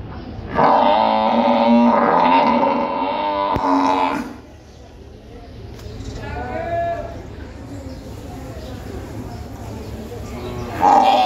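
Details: A water buffalo at the Gabtoli buffalo market in Dhaka gives a loud, drawn-out bellow lasting several seconds, with people talking nearby.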